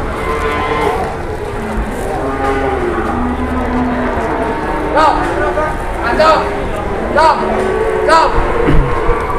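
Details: At a quiet Indonesian cattle market where jumbo cattle arrive during the pandemic, a low bellowing moo rises and falls over several seconds, then gives way to several bursts of human voices against a constant crowd hum.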